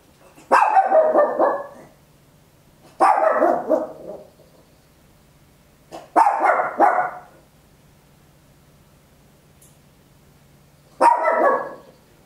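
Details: Small Papillon dog recorded at home in stereo on an Olympus LS-11, giving loud, harsh barks, each about a second long and trailing off, four barks spaced irregularly two to five seconds apart over a quiet background hum.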